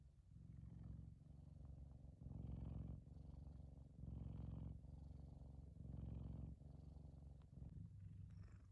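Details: F2 Savannah cat Kumba, a big male pet, purring while relaxing in the sun; low rumbling purr in steady breaths, louder pulses about every 1.5 seconds alternating with softer stretches.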